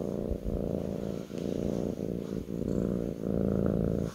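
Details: On a lap, a kitten gives a soft, steady rumbling purr, its rhythm rising and falling with breathing about every half second to second, otherwise quiet.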